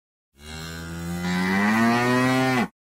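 A single drawn-out cow moo, low and nasal, rising slightly in pitch before cutting off.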